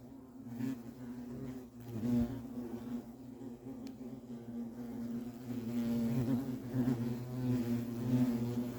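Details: European hornets at the nest, a steady low droning buzz with layered harmonics, swelling and fading as insects move, louder toward the end.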